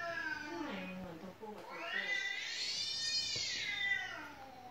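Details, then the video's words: Domestic cat at home that keeps meowing, answered with a played clip of cats meowing; short falling mews lead into one long, drawn-out meow that rises then sinks, ending in a soft thump. "แมวที่บ้านร้องไม่หยุด1 เลยเปิดคลิปแมวร้องให้ดู"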